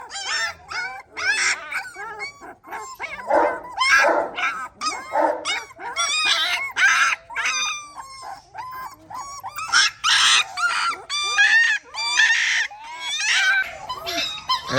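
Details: At a kennel housing a Gultair male and a pregnant Gultair female, dogs keep up a rapid series of high, yelping barks mixed with whining cries and brief howl-like notes, several overlapping, for roughly fifteen seconds.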